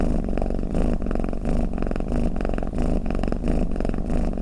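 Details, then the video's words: Steady, low buzzing rumble of a snoring cat, pulsing evenly in breath-like waves, close and uninterrupted. "เสียงแมวกรน เปิดให้แมวฟังเคลิ้มๆไปเลยค่ะ | Snoring Cat"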